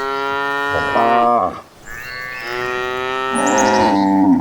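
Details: Cattle in a herd running toward green pastures: two long, drawn-out moos, the first about a second long and the second steadier and swelling toward the end, with a brief quiet gap between them.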